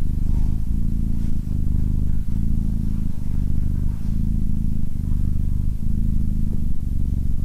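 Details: Pet Abyssinian named SimbAs, calm and attentive, giving a low rumbling purr in distinct pulsed phrases with brief breaks between breaths, close and heavy in the bass.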